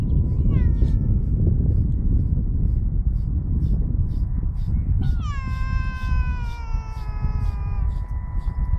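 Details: An Alaskan Malamute in its moult, during the second day of grooming outdoors in the evening, gives two high, drawn-out whining cries that slide downward, over steady low rumbling noise.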